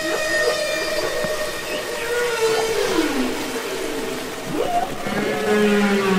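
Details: Humpback whale singing and communicating underwater, Capitol Records ST-620 recording: layered harmonic tones glide downward, then sharp upward sweeps and a sustained low note, with a constant watery hiss behind.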